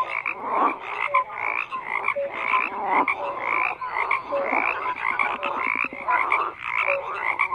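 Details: Frogs croaking in a dense chorus: overlapping raspy, crackling croaks layered under short clear tonal notes that recur roughly once a second, forming a continuous pulsing wall of sound with no other noises.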